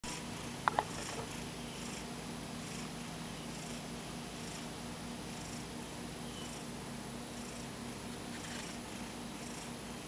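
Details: Domestic cat snoring softly during an afternoon nap indoors, paw over its eyes; faint rhythmic breathy pulses, with two sharp clicks near the start.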